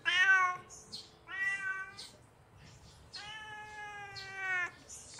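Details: Kitten calling because it is hungry, giving three mewing cries; the first two are short, and the third is a long, drawn-out meow of about one and a half seconds.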